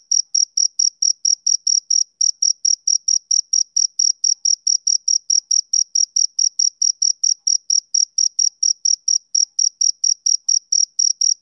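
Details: Rhythmic summer-evening chirping of a male cricket. Bright, high-pitched pulses come roughly four times per second in an unbroken train over a silent background.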